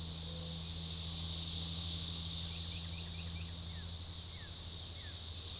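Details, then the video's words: Periodical cicadas, Magicicada tredecassini, in a synchronized chorus near DeValls Bluff, Arkansas, on June 7, 2015, at a forest edge: a steady hissing high drone peaking early then easing, while a few thin falling bird notes chirp in the background. "Magicicada tredecassini organized chorus"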